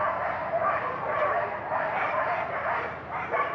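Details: Excited sled dogs at the Iditarod Trail Race Headquarters in Alaska bark and yip together in a continuous overlapping chorus.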